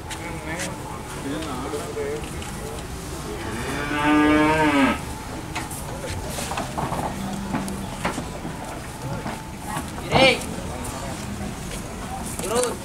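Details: Cattle carried by vehicle on a market-to-market tour in Indonesia; amid engine noise, clatter and scattered voices, one strong moo rises and falls around the middle, with fainter lows later.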